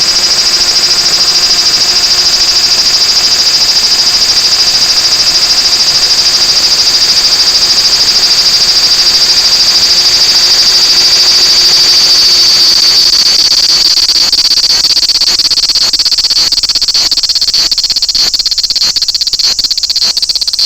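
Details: Large brown cicada at Toyanogata Park, a steady loud high sizzling drone held without a break for most of the clip. Toward the end it roughens into quick pulsing strokes.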